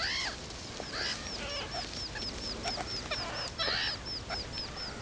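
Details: Meerkat babies on their first trip out of the burrow, calling loudly with rapid, evenly spaced high peeps that rise and fall like little arcs. Some louder, rougher squeaks are mixed in, over a low background hum.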